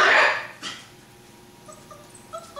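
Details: Chocolate Great Dane puppies from one litter, filmed 7-19-11: one loud, broad yelp bursts out in the first half second, then only faint, short high tones over quiet room noise.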